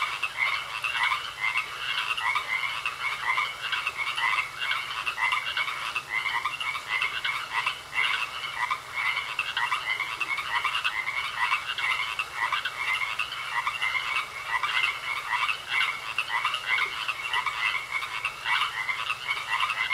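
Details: Many frogs croaking at once in a pond, producing an unbroken, buzzy chorus of quick trilled pulses; individual bursts repeat rapidly and blend into a continuous, pulsing din throughout.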